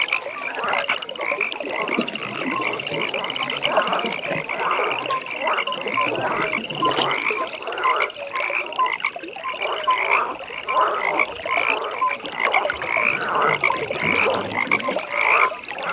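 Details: Evening pond full of calling frogs, layered croaks and short clicking notes over a continuous high beaded trill that rises and falls in steady rhythm, with slight water sounds beneath.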